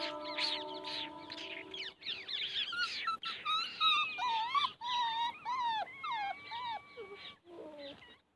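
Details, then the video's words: Puppies playing together make high, thin whining whimpers that rise and fall in quick, wavering squeals, several overlapping. Steady tones sound briefly at the start and the calls fade out at the end. "puppies making noises, puppies playing"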